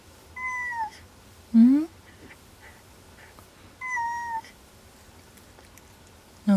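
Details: Kuri, an unwell pet cat staying under a desk at night and refusing food, utters two clear falling meows a few seconds apart; between them come short low rising voice sounds, with a faint indoor hush behind.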